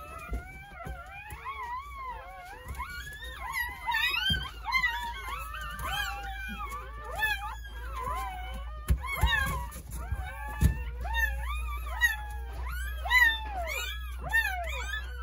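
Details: Crying newborn Jindo pups from a nine-puppy New Year's Day birth at a rural home, high bending whimpers piling over one another above a steady low indoor hum.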